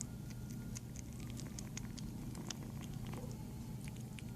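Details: Female kitten up for adoption, eating indoors: rapid wet clicks and smacking chews scattered densely throughout, sharp and brief, over a steady low room hum.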